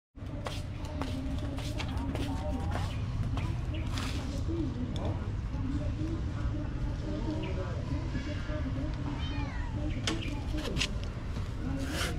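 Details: Hungry homeless street cats meowing while being fed: several rising-and-falling meows, some overlapping, repeated through the stretch, over steady low traffic rumble and occasional human voices.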